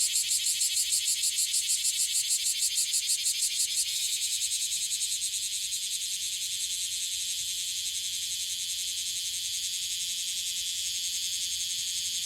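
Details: Okinawan bear cicada, Cryptotympana facialis, an individual that sings often; strong pulsing rhythmic chirps about three per second for four seconds, then settling into an even, steady high buzzing drone.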